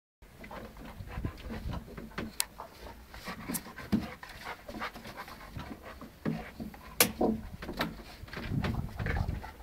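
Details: Massive Percy, a big dog, playing with Puppy Dave indoors: rapid breathy panting with scattered sharp clicks and thumps of scuffling paws, short bursts of movement noise throughout.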